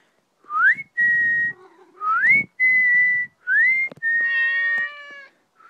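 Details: Male Maine Coon named Mitz calling out while trailing a whistling person; short rising whistles trade off with a drawn-out, layered meow near the end.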